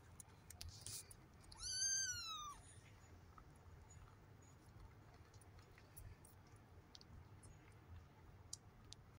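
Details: Three-week-old Maine Coon cross kitten from a mixed calico, smoke and grey-and-white litter, July 9, 2023; one clear arched mew lasting about a second, rising then falling, followed by quiet room noise and faint clicks.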